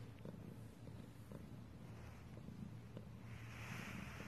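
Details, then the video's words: Purring cat heard close up, a low continuous rumble with soft, regular pulses and faint clicks, and a gentle hiss near the end. "Cat purring compilation"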